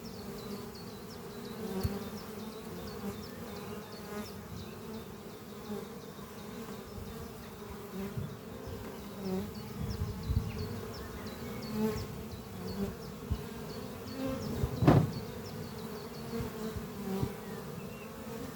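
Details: Many honey bee workers flying around their hive beneath trees on a spring morning while carrying pollen; a continuous low hum that swells and fades, a loud knock near the end, and soft high bird chirps repeating in the background.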